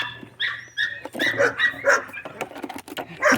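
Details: A litter of five-week-old Golden Retriever puppies squeaking and yipping in quick overlapping bursts, high-pitched and busy, with shuffling noises throughout.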